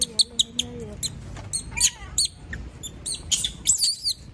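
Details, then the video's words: A female monkey screaming after being left alone: shrill, very high squeals in short bursts, some with a sliding pitch, spaced irregularly. A woman speaks softly at the start. "Sound of monkey berlin scream when all leave her alone, monyet berlin berteriKmak sendirian"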